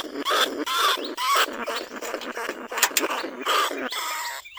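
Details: Caged lesser bandicoot rat calling from a trap cage in rice fields at Na Lao, Nong Khu Phai, recorded live as a lure to draw rats from burrows: rapid bursts of harsh, squeaky squeals with ringing harmonic tones, irregularly spaced, fairly loud and close.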